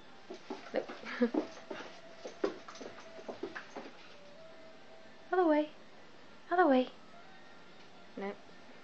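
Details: Nancy, a pet dog, spinning after her tail indoors in the evening; a person talks to her at first, then three loud warbling whines wobble up and down in pitch near the end, the last one brief.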